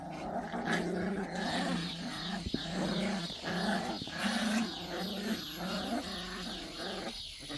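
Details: Pungsan dog puppies in a rank fight keep up a low, rumbling, almost continuous growl with pulsing swells. A few sharp clicks or knocks and steady background noise run underneath.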